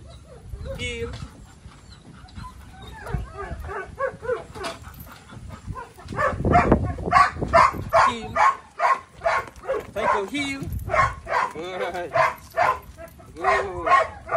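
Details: Belgian Malinois Psycho, a male dog at training. Quiet whines and a human voice are followed by a dense, fast burst of loud barks over the second half, several each second, mixed with voices and music.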